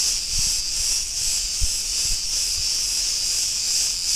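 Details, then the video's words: Cretan cicadas singing in a street of Ierapetra, Crete, Greece: a dense, continuous buzzing hiss held high with faint regular pulsing, plus a few low thumps of street noise. "Cretan cicadas sounds"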